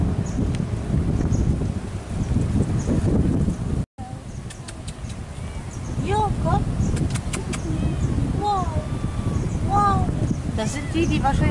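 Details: Male domestic cat kept as a pet in warm Asia, giving a series of arched, rising-then-falling harmonic meows in the second half, over steady low wind rumble and a few faint high chirps.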